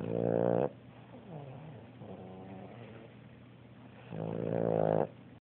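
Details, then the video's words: A Boston Terrier asleep on a sofa snores with loud, rasping, harmonic-rich breaths and quieter rumbling sounds between them. "Lily the Boston Terrier Snoring"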